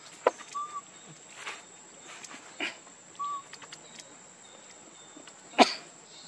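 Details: Infant monkey crying for milk from hunger: two short, clear, arched whistled cries a few seconds apart amid soft rustles, sharp clicks and a steady high-pitched whine.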